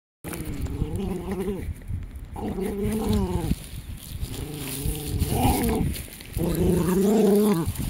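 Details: Jack Russell Terrier, one of two in the household, giving moaning, whining calls in several wavering harmonic phrases of about a second each, separated by brief pauses, over steady background noise.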